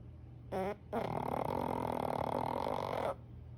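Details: Sleeping pug snoring: a brief harmonic snort, then one long, rasping, steady snore lasting about two seconds before stopping abruptly, indoors in a quiet room.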